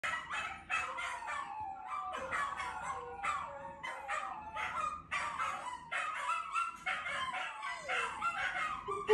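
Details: A Scottish Terrier howls along with other dogs' howls in long, wavering, overlapping cries that rise and fall, with brief breaks between phrases.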